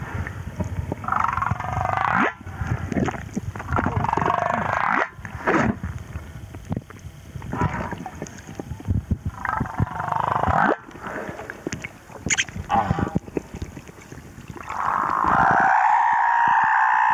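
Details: Song of a male humpback whale recorded at Moorea: a series of moans and groans broken by loud clicking pulses, ending in a long, clear sustained tone.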